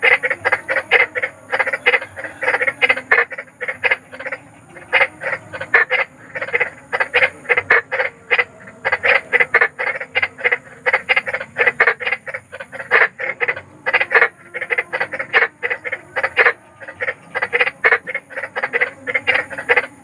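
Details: Big frogs at night giving loud rhythmic croaks in rapid runs, pausing briefly between bursts, several animals calling together, presented as an eerie natural sound that helps children sleep.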